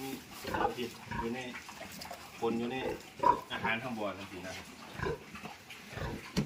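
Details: Piglets being moved into fattening pens give short, harsh squeals and grunts in scattered bursts, mixed with steady human talking throughout.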